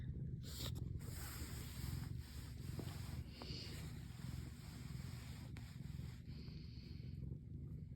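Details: Low, continuous purring from Yang-i, a house cat tucked into a warm spot in winter, rolling evenly for eight seconds under rustling and rubbing noises of fabric.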